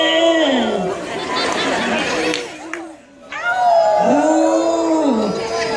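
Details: A female New Guinea singing dog, singing into a microphone, gives wavering, yodel-like howls rich in overtones, with a brief pause between phrases.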